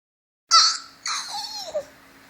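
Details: Frito, a pet dog indoors, making a playful new vocal sound: a sharp high whine at the start, then a second longer whimper that bends down and trails off in a falling slur.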